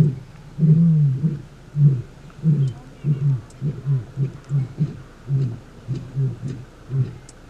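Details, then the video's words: Male lions in a territorial dispute during a takeover, far southern Kruger National Park, morning. One long deep roar followed by a regular series of short, very low grunts, about two per second, trailing off. "Big male lions in a Territorial Dispute! A Male Lion Takeover Starts!"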